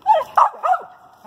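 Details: Female dog at a treed squirrel in a pine thicket gives three quick, strained barks, almost yelps, packed into just over a second, the first and third dropping in pitch.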